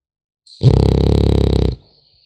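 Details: Single drawn-out snore from a sleeping French Bulldog puppy: a low, evenly fluttering rasp of about a second, fading out into silence.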